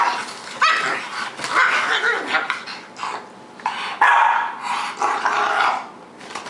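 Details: Bashful the bulldog playing with Pearl the pug indoors: rough, raspy growls and short barking yips come in uneven bursts of one to two seconds, broken by brief quiet gaps, with scuffling noise between.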